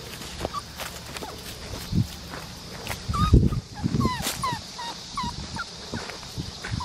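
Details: Black tri male Australian Shepherd puppy with one blue and one green eye, at Fifteen Acre Farms in Oklahoma, gives a run of short, high, squeaky whines that bend up and down, several in a row, over soft talking and handling noise.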